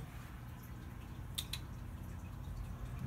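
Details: Low indoor hum with two faint clicks or drips and no animal sounds.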